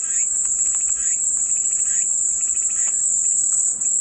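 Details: Cicadas keep up a dense, level high-pitched whine across the whole stretch, faint little chirps dotted beneath it, presented as calming white noise.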